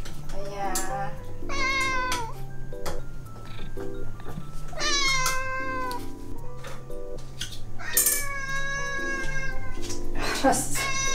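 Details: Ragdoll house cat, one of eleven ragdolls kept at home, stalking its owner; repeated long whining meows with bending pitch, a few sharp, strained cries near the end, backed by continuous music.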